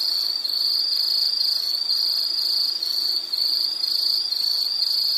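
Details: Continuous high-pitched insect chirring, pulsing roughly twice per second in an even, unbroken band, heard alone against a quiet background.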